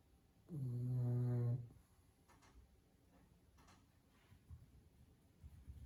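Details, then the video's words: Sleeping pug snoring at home: a single long, deep, buzzy snore lasting about a second with rich rattling harmonics, followed by quiet breathing and faint soft snuffles. "Cute Dog Sleeping & Snoring"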